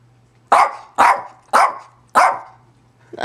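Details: Zoey, a pet dog, barking at home: four loud, sharp barks spaced about half a second apart, each a short broadband burst, with a low steady hum underneath and the start of a fifth bark at the end.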